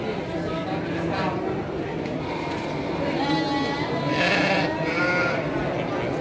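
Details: Garut sheep, ewes, at the Andir sheep market in Garut, Indonesia, 5 April 2021; a few shaky bleats, the loudest near the end, are partly masked by continuous human talk and crowd noise.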